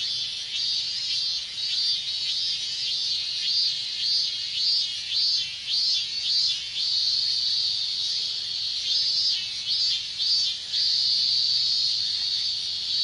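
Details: Summer chorus of minmin cicadas in Japan's heat, a loud high-pitched drone broken into rhythmic pulsing bursts that repeat roughly every half second, rising and falling in waves over a continuous buzzing background.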